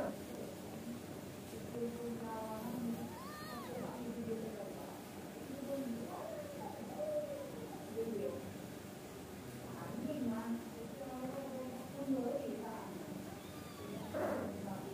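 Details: Angora mother cat and kittens chattering together, the mother described as scolding the kittens to sleep: a string of short, soft, bending meows spaced irregularly over fifteen seconds, over a constant low hum.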